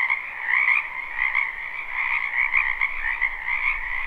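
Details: Frogs in a spring wetland croaking together: a thick, buzzy chorus of rapid overlapping pulses, gently swelling and fading about every half second, with little background noise.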